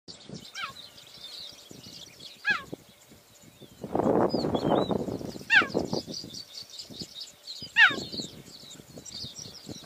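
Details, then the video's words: A mother cheetah gives high, bird-like chirping meows that drop sharply in pitch, repeated every couple of seconds, calling to relocate her cubs, which may have hidden from danger such as lions, leopards or hyenas. "Mother cheetah meows her cubs (Suscribe onto our channel)"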